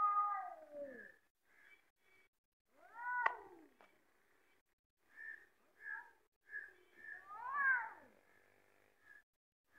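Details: Fighting cats trade short, falling yowls and one sharp rising-then-dropping wail, broken by soft repeated chirp-like blips and quiet gaps.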